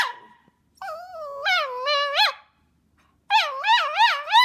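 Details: Vocal 'talking' from Milo, a male tricolour Cavalier King Charles Spaniel born in April 2012. A drawn-out moan with wobbling pitch breaks off, then quick rhythmic up-and-down yodelling whines follow after a short pause.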